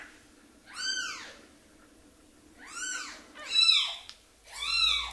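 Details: Orphaned baby kitten, hand-raised after losing its mother; four arched, high-pitched mewing cries spaced one to two seconds apart, with a faint low hum underneath.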